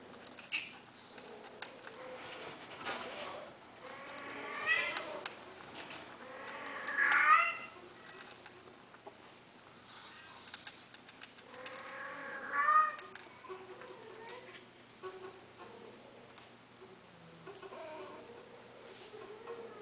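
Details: Domestic cats indoors in a small room, giving drawn-out harmonic meows around five, seven and twelve seconds, with softer mewing between, over faint background shuffling and low room noise.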